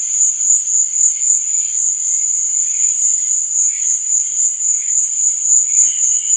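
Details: Cricket chirping after dark: a constant shrill high trill with regular pulsing beats, about four per second, plus faint intermittent lower chirps in the background.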